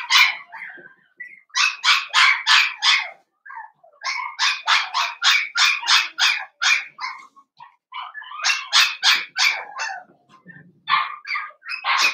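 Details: A litter of five Blenheim Cavalier King Charles Spaniel puppies, born on New Year's and raised in a home puppy pen. Shrill yaps come in fast, even runs of four to eight, broken by short pauses.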